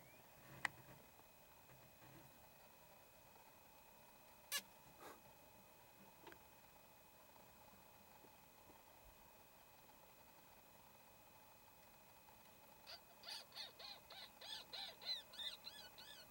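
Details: A caracal at DumaTau in Botswana's Okavango Delta gives a quick run of high, thin, chirping calls after a quiet stretch with a steady low hum.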